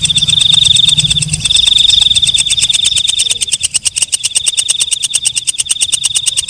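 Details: Shrill, high, sustained buzzing trills from a walang kecek (belalang malam), a katydid, then a switch to rapid regular clicking pulses that run to the end over a faint hiss.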